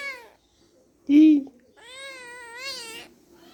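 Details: Kittens playing with each other; two clear harmonic meows, a short one followed by a longer, slightly wavering drawn-out meow, with a brief louder low squeak or voice between them in a quiet indoor setting.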